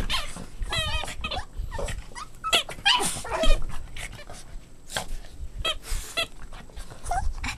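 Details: Playing Boston Terrier puppies yelp and whine in short rising-and-falling squeaks, several bursts packed close together, with scrambling and knocking noises throughout.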